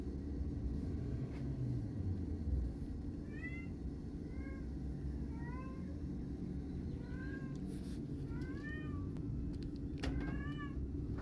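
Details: Fluffy fawn kitten calling while wanting to walk out with its mother cat; a series of short, high, arching meows repeated about every second, over a steady low rumble like a running engine.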